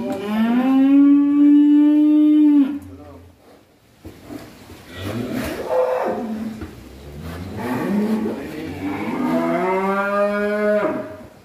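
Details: Bull raging as it leaves its pen for the first time, giving a long, loud, steady moo of about three seconds, then men talking, then a second, rising bellow near the end.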